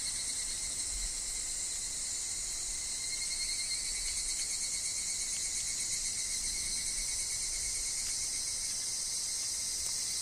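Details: Higurashi (evening cicada) in a woodland with wind and falling leaves: a dense, continuous high shrilling chorus with a faint shimmering pulse and a steady thin tone underneath, unbroken throughout.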